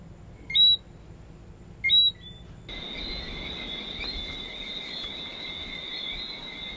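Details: Lesser Antillean whistling frog (Eleutherodactylus johnstonei) calling: two short, high whistled two-note calls about a second apart, then a steady, shrill, unbroken high drone of background chorus for the rest of the recording.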